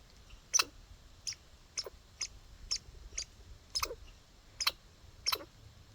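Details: Backyard squirrel outdoors giving hiccup-like calls: eight sharp, clicky chucks spaced under a second apart, each ending in a brief low downward tail, over faint background hum.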